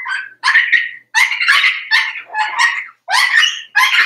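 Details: Four-week-old Cavalier King Charles Spaniel puppies from Daisy's litter in their puppy pen, giving a steady run of high, wavering whines and yips, about seven short cries in four seconds with brief gaps between.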